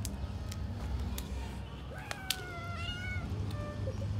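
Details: Weak, sick-looking brown cat with kittens, possibly poisoned, not eating for two days, living in a building; a thin, high, slightly wavering meow rises then falls, over constant low hum, clicks and nearby human speech.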